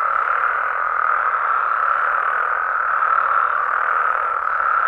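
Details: Frogs and toads calling after dark in Mexican natural habitat, an unbroken chorus of overlapping mid-pitched croaks, steady in level from start to finish.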